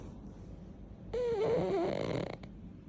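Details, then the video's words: Yeoreum the pug snoring while asleep: after a quiet second, one long rasping breath with a wavering whistled tone through it, lasting under a second before fading into low room hiss. "여름이 코골이"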